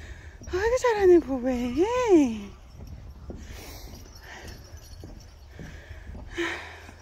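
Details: A dog-like pet cat lets out a drawn-out, wavering meow that rises and falls in pitch over about two seconds, then quieter low background rumble and a brief faint sound near the end.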